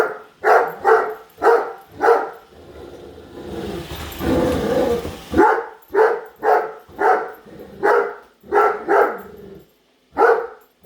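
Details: Padme, a Great Dane, barks at a new Roomba she hates while following it: sharp repeated barks in quick bursts, interrupted midway by a few seconds of broad whirring machine noise before the barking resumes.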